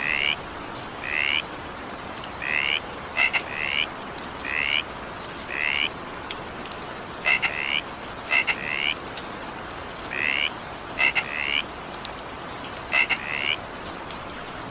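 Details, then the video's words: Evening rain with a frog repeating brief rising, ringing croaks roughly every second, some paired with quick double-pulsed clicks, against continuous rain patter. "evening rain sound effect with frog sound"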